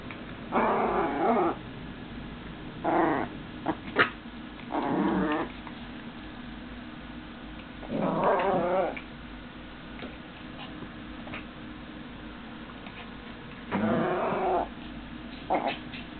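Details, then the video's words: Two dogs play fighting, one attacking the other, with bursts of low rumbling growls and snarls lasting about a second each, recurring every two to four seconds, with quiet scuffling between. "dogs at play"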